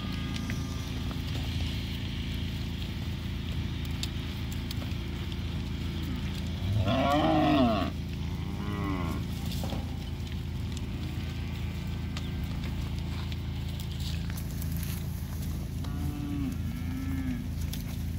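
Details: Forty Beefmaster heifers of about 225 kg, sold as one auction lot. Several low moos rise from steady crowd and machinery rumble. The loudest comes near the middle, and softer ones follow toward the end.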